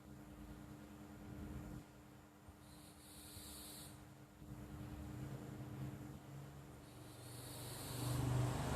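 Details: A sleeping house cat named Flo purring and snoring. A low, pulsing rumble runs throughout, swelling louder near the end, with airy breath sounds rising and fading every few seconds over a quiet indoor hum.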